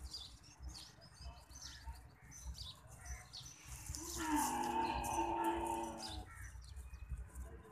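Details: A camel wandering in a city gives one drawn-out, low, nasal moan lasting about two seconds, over street noise and scattered chirping of small birds.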